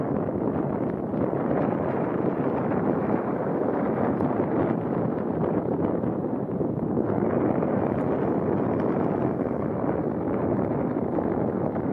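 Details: Steady, roaring wind noise fills the whole recording, with no clear animal calls above it.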